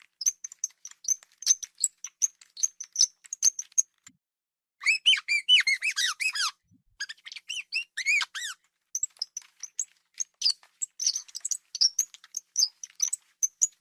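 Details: Pet hamster squeaking: a steady patter of tiny, high-pitched ticks and chirps, interrupted around five to eight seconds by clustered, shrill squeals that bend downward, then the fine chirping resumes.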